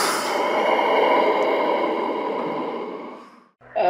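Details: A walrus (Odobenus rosmarus) gives one long, hoarse, breathy bellow lasting over three seconds and fading at the end, followed by the start of a spoken word.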